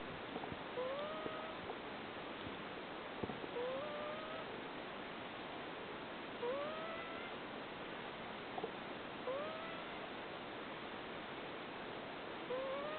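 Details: Cream, a rescued cat at Nekosama Kingdom in Fukui, sleeping and snoring a soft 'puu puu': short whistled nasal tones that rise then level off, repeating every few seconds with each breath over steady background hiss.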